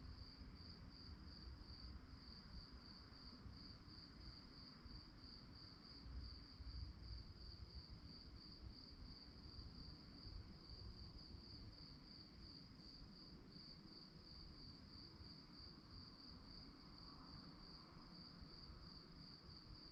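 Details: At night, crickets keep up a high-pitched chirp pulsed roughly twice per second, regular and unbroken for the whole stretch, above a quieter low rumble.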